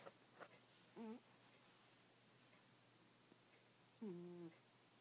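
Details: Pet cat Goldie snoring in her sleep indoors: two short, whistling snore notes a few seconds apart against a quiet room, with light clicks near the start.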